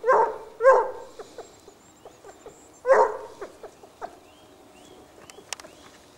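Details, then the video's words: Basset Hounds from the French Rallye de l'Allagnon kennel, several dogs trailing a scent: deep, resonant baying barks, two close together at the start and another near three seconds, followed by fainter short yelps in a quiet background. "Basset Hound siguiendo rastros"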